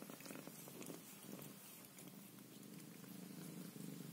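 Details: Mother Scottish Fold cat looking after her Scottish kittens; loud, even purring rolls on without pause, overlaid by crisp ticking and patting noises.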